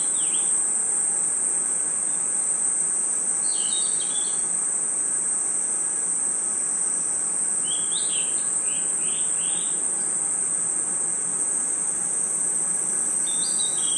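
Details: A steady, high, sustained trill of crickets chirping in a forest at night runs the whole way through, with scattered, fainter bird chirps and short descending whistles appearing in several brief groups.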